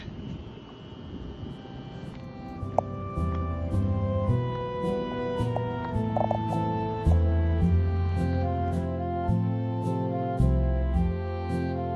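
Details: Steady instrumental music with sustained tones, a low bass line and regular percussive ticks; no animal voice is heard.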